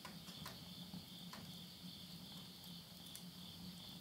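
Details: Insects chorus at midnight in the countryside of Yurihama, Tottori, Japan, at the end of summer in September 2020. A steady high pulsing trill runs throughout. Crackles and pops from a wood-burning stove cut through it, over a low steady hum.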